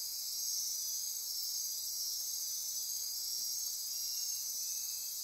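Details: Dense nocturnal insect chorus near Corcovado National Park on Costa Rica's Osa Peninsula, rainforest at midnight; a steady high continuous buzzing and trilling wall of sound with layered whistled bands, no pauses throughout.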